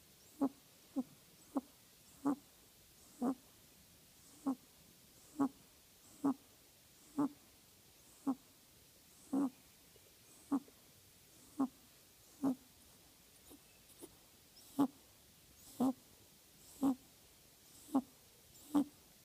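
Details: Pet rabbit snoring while asleep: short, soft snorting breaths repeat roughly once a second, about twenty in a row, with a quiet background between them.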